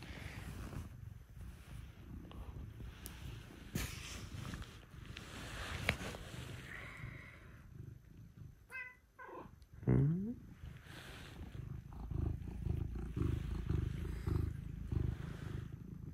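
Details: Pet cats, Scottish folds and a British shorthair, coming to wake their owner in the early morning; steady low rumbling purr runs throughout, broken near the middle by a short rising meow, with a soft spoken greeting and rustling.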